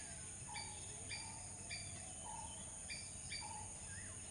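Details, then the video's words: Brief, clipped squirrel chirps repeating about every half second, paired with short low whistled notes, and a soft rising note near the end, under steady hiss. "squirrel sound"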